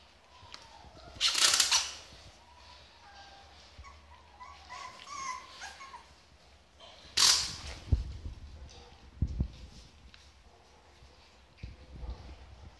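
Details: Rottweiler puppies waiting for their owners whine in thin, high tones, broken by a few sharp, noisy bursts.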